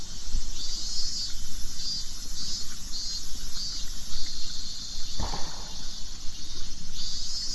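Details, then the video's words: Cicadas in the Nagano countryside, Japan, drone in summer with a loud, steady, high-pitched buzz and faint pulsing beat, heard in Japan as "miiin-min-min", over low wind rumble. "Cicadas singing sound like this to Japanese."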